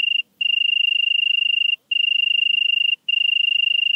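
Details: In Venezia, Italy, on 2 September 2021, a European tree cricket gives a clean, pulsing trill, steady in pitch, delivered in phrases of roughly one to one and a half seconds with brief silences between.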